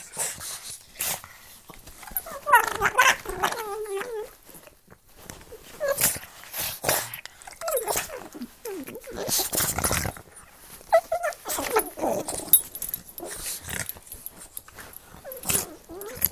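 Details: Pug and Boston Terrier play-fighting with their mouths, giving bursts of throaty growls and whiny, rising vocal snarls between short gaps, with scuffling and sharp clicking noises throughout.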